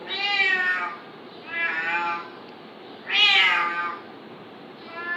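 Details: Cat fighting a kitten, giving a run of three loud, long, strained meows roughly 1.5 seconds apart, the last the loudest, with a fainter call starting at the end; steady hiss behind.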